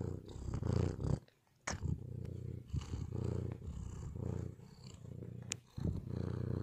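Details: Male white cat purring during quiet moments, a low rumbling purr in long bursts of about a second each, broken by short silent pauses, with a few faint clicks above.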